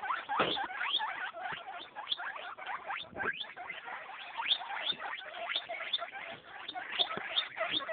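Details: A group of eight-day-old guinea pig babies chatter in dense, high squeaks and quick upward chirps, repeated almost continuously, with light scuffling.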